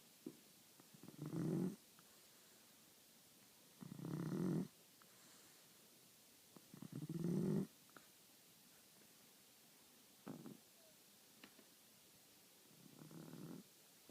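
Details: Blind French Bulldog snoring: rough, rasping snores roughly every three seconds, some long and loud, others short and softer, in a quiet room.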